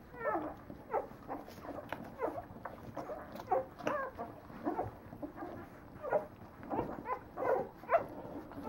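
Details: Whining litter of Leonberger puppies aged nine days, repeated squeals and bending whimpers from several pups, louder bursts about once a second over a constant murmur of smaller squeaks.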